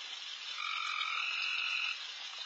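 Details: Frogs at night in a backyard where deer feed, insanely loud all around; one drawn-out buzzy, two-toned call of over a second swells above a steady, shimmering chorus.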